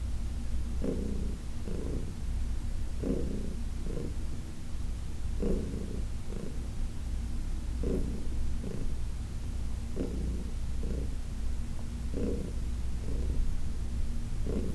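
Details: Massaged on August 4, 2021, Heidi, a senior cat adopted from the Humane Society of New York City, keeps up a deep rumbling purr, pulsing more brightly with each breath, roughly once a second.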